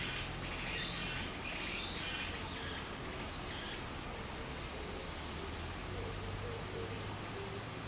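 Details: Cicadas singing in summer beside a stream in Japan: a steady high, hissing drone. Pulsed bursts repeat about four times a second for the first two seconds, then merge into a continuous whine. Flowing water murmurs underneath.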